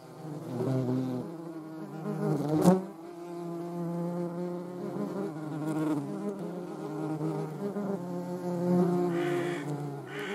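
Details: Low, continuous droning buzz from a European hornet's wings, shown with a median wasp, holding a fairly even pitch for ten seconds with a sharp click early on and slight wavering later.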